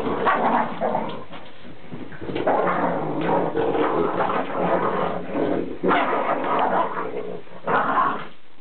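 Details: Pair of Boston Terriers in a tug-of-war game over an old towel, giving sustained throaty growls broken by short barks and whimpering notes, with scuffling in a small room.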